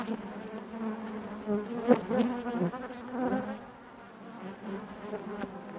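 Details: Honey bee colony humming within the hive: a low, constant drone with wavering higher buzzes, a louder burst near two seconds, then a gradual softening to a quieter steady hum.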